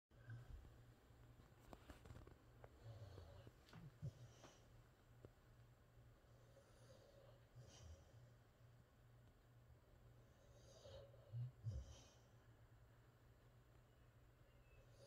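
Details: Rex, a Boxer dog, asleep indoors and dreaming, makes soft low snores and breathy snorts, with louder snuffling bursts near four, eight and twelve seconds over a steady low hum in a quiet small room.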